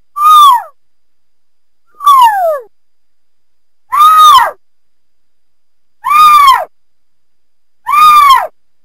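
A cougar gives loud, harsh, descending screams, about half a second long, roughly every two seconds.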